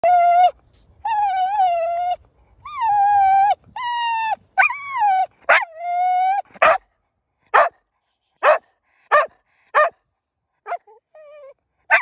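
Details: Cocker spaniel excited while playing hide and seek in the woods, eager to run; long high whines rising then falling, then a run of short, sharp yipping barks roughly once a second.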